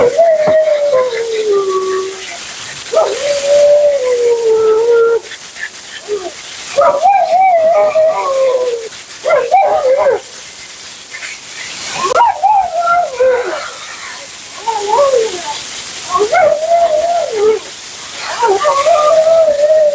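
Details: Vocal female Siberian Husky Mila keeps up nonstop commentary while being bathed, blown out and groomed: repeated bursts of wavering, bending howl-talk, some falling, some rising and warbling, separated by short pauses, over loud hissing water or dryer noise.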